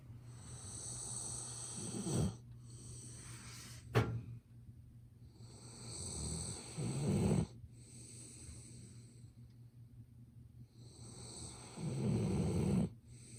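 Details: [1, 'yes', 'snoring', 'Golden Retriever named Ibuki asleep indoors, snoring loudly enough to be heard over someone working nearby, recorded on a smartphone. Three deep, rasping snores come about every four to five seconds, with a single sharp click in between.']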